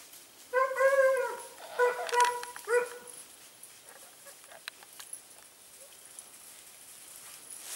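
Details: On an October 2015 hare hunt near Sofiko in Evros, Greece, a Segugio Italiano hound cries out in a tight cluster of clear, tonal yelps, then falls quiet while faint rustling and ticking sounds fill the rest.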